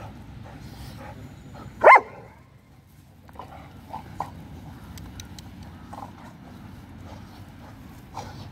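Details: Black Labrador Retriever named Sheriff, six months old, playing with fellow dogs: one sharp, loud bark near the start, then a long quiet stretch with soft rustling and a few faint clicks and taps.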